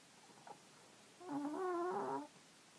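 A sleeping Chihuahua–Jack Russell cross snores with a squeaky, wavering whine like air escaping a balloon.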